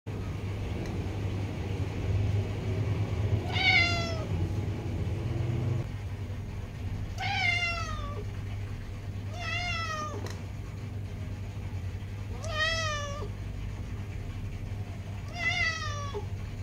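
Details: Domestic cat meowing persistently because it wants a door opened: five clear, drawn-out meows with rich harmonics, spaced about every three seconds, over a steady low hum.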